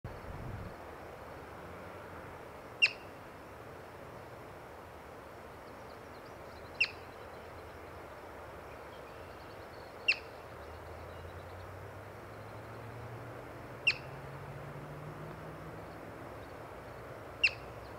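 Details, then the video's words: Yellow-bellied marmot, seen while birding, giving sharp, short high chirps spaced three to four seconds apart, five in all, over a steady background hiss with a faint low rumble. "Yellow-Bellied Marmot Chirping"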